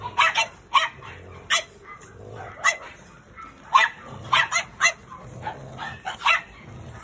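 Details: A black pug strutting with its curled tail wagging gives sharp, clipped barks in bursts of two to four, separated by quiet pauses of a second or more.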